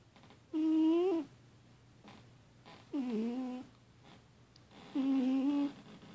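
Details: Annie, a sleeping female house cat, snoring or possibly dreaming badly, gives three nasal, whiny moans, some rising, one bending downward, spaced a couple of seconds apart like slow breaths, over a low indoor hum.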